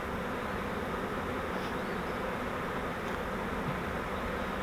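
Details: Honey bee swarm caught in a custom flowerpot fiber swarm trap used as a bait hive, being moved into a Langstroth hive; a dense, steady, low droning buzz fills the whole stretch without pause.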